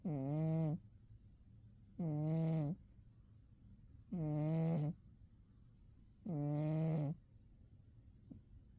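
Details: Umi, a cat zonked out in winter sleep, gives four steady nasal snores, each a low buzzy hum lasting under a second and repeating roughly every two seconds. A faint click near the end, otherwise a quiet room.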